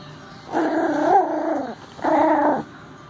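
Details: Young Yorkshire Terrier puppy, newly arrived, meeting other puppies at playtime; two drawn-out whining, growly vocal tones, the first about 1.2 seconds long with a wavering pitch, the second shorter after a pause.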